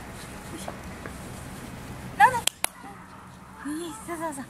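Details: A male Toy Poodle puppy, born 25 February, gives a sharp, high yelp, then soft, wavering whimpers.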